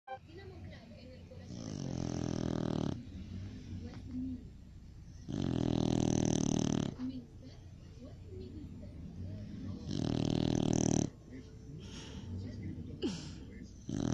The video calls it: Cocker Spaniel roncando